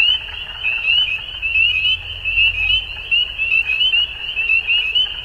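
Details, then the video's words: Frogs at dusk calling together, their bright upward-slurred chirps repeating about once a second over a continuous high trilling bed, with a faint low rumble in the middle seconds. "Frogs At Dusk"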